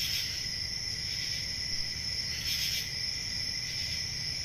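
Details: Crickets on a summer night in a forest. Their high trilling runs without a break across two pitch bands, with a brighter burst of chirping around the middle and again near the start. A faint low rumble sits beneath.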